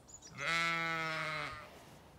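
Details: A Zwartbles sheep on an Irish farm in County Kilkenny, at autumn dawn, waiting for the fence to be moved to fresh grazing, gives a single drawn-out, wavering, harmonic bleat of about a second in a quiet setting.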